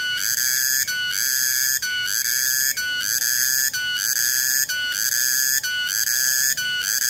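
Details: On 21 August 2020, a tonggeret cicada gives a loud, high, ringing whine with rich overtones. The sound is interrupted by short regular gaps about once per second, making a continuous pulsating pattern.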